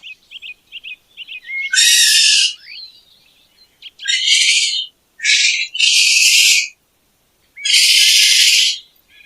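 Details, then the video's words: Raccoon producing a few soft high squeaks followed by four harsh, broadband screeching bursts, each about half a second to a second long, with short gaps between them. "Sound of Racoons and Pictures.| Racoon sound."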